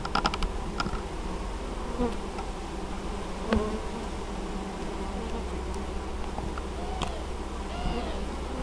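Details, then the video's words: Hive of honey bees collecting honeydew at an apiary in Moszczanka, Opole region, Poland, on 19 August 2013; continuous low humming swarm buzz, a few loud passes near the start and brief faint chirps later. "Pszczoły noszą spadź"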